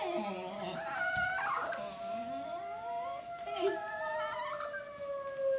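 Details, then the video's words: Chihuahua reacting to a tornado siren, warbling whiny howls and yips bending up and down against the siren's steady drone, with a faint voice in the background. "Chihuahua freaking out over tornado siren."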